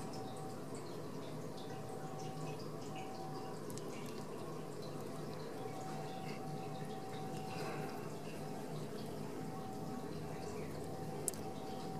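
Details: Indoor room tone with a steady hum and faint running or dripping water, plus one sharp click near the end.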